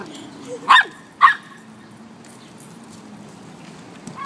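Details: Samoyed and Chow puppies, Nora and Henderson, at play near water; two quick sharp barks close together, followed by quiet with low rumbling background noise and a faint yip at the end.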